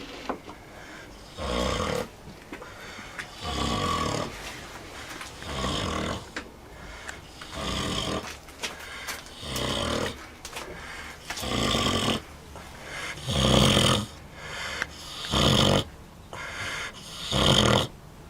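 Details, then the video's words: Vietnamese pot-bellied pig asleep in its pen, kept by a breeder, giving steady rasping snores, a harsh buzzing breath roughly every two seconds across the whole stretch, some snores louder and noisier than others. "ХРАП СВИНЬИ Sleeping Pig // ВЬЕТНАМСКАЯ ВИСЛОБРЮХАЯ СВИНЬЯ"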